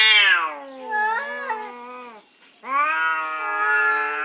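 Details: Orange cats quarrelling over a parking spot: a sustained, low, moaning yowl that wavers slightly, breaks off briefly near the middle, then resumes steady and strained.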